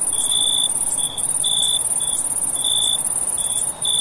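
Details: Crickets at night: a steady, very high continuous trill runs throughout, with a lower, clear chirp pulsing in short bursts about once a second over it, and a brief dip in loudness near the end.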